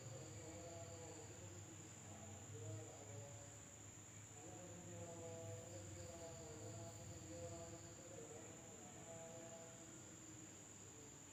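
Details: At night in a village in Indonesia, insects make a steady, high-pitched drone that hums without pause in a night chorus.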